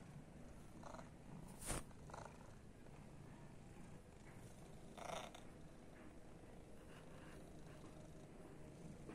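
A Persian cat purrs with a low, steady rumble that continues throughout.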